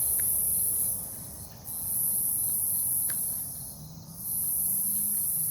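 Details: In a forest by a farm in Omaha, Nebraska, on the night of 08 03 2021, cicadas keep up a high, buzzing drone broken by two short dips, over a noticeable low-pitched rumble.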